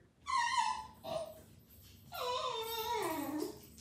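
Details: A male Basenji gives loud, tuneful whines, the last one sliding down in pitch, demanding attention until he is cuddled.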